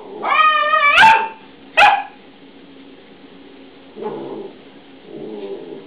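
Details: Newfoundland with a young Malamute puppy, old cell phone recording: a wavering, harmonic whine-howl, then a sharp yip, followed by two low grumbling grunts over a constant background hum.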